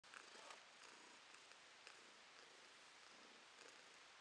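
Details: Domestic cat purring, recorded in May 2022: a quiet, steady, breathy hiss-like rumble with faint irregular pulses throughout, no other sounds heard.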